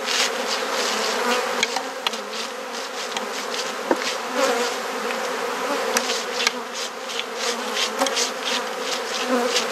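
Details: Continuous droning buzz from a honey bee colony as a garden hive in Perth, Australia is opened and inspected, the hum even and unbroken, with light clicks and knocks of frames handled throughout.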